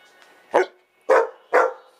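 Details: Old English Sheepdog barking while demanding food: three sharp, loud barks spaced about half a second apart, with a faint earlier yip, in a quiet indoor setting.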